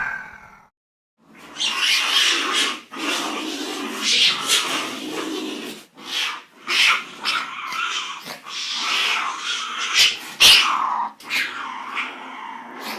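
Rough, breathy cat calls come in irregular bursts, some drawn out and hissing, others short and gravelly. The sounds are noisy rather than tonal, with brief pauses between outbursts.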